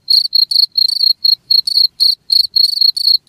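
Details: A cricket gives sharp, shrill chirps in quick succession. Each burst is short and trilled, spaced unevenly about a quarter second apart, against silence.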